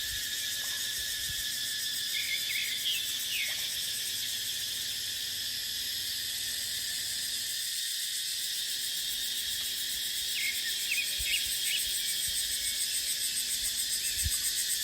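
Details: Dry-season dipterocarp forest chorus of cicadas, with wind. The continuous shrill hiss-like drone holds steady for the whole stretch, and brief, thin chirps from small birds appear around three seconds and again near eleven seconds.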